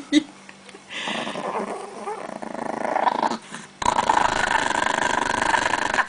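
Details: Chihuahua guarding pancakes in a Russian home, growling low and continuously; the rumble wavers in strength, pauses, then returns louder and steadier for the last two seconds, with faint voices in the room.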